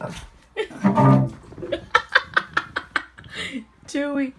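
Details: A Shih Tzu puppy gives a quick run of short, high yaps, barking at cello practice over low bowed cello notes.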